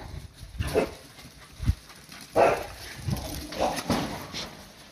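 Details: Cardigan Welsh Corgi puppies, several dogs together, playing hard with a dog toy bought at a 100-yen shop; short sharp bark-like bursts about every second or so, with toy-handling rustle and a person calling the dogs by name.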